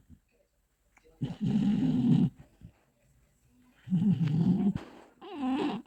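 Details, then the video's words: A sleeping Bull Terrier snoring: rough, low, rumbling snore bursts, three in about six seconds, each lasting roughly a second, with quiet pauses between. "Как храпит бультерьер"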